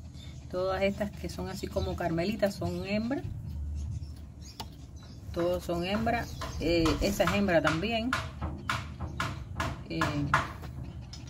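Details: Newborn Pekingese puppies, a litter of five just born by natural birth, give thin, wavering whines that rise and fall in quick bursts.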